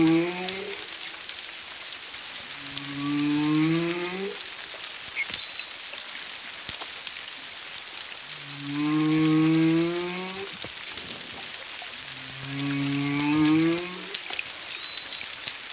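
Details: Humpback whale singing off Culebra, Puerto Rico, on 25 February 2022, roughly one to two miles away with at least a second whale present: rising, harmonic moans in three long phrases, each a stacked upward sweep lasting about two seconds, over a rain-like hiss.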